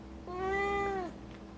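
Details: A black-and-white hachiware house cat, once a stray, answers while being scolded for swallowing a foreign object. It gives one clear, steady meow lasting about a second in a quiet indoor room.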